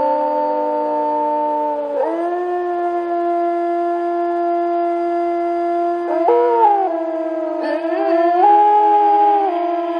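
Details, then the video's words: Overlapping wolf howls in the forest: several sustained voices hold flat, even pitches, break off and re-enter with brief wavering jumps, keeping up a continuous layered, haunting drone throughout. "1 Hour Creepy Wolf Howl in the forest"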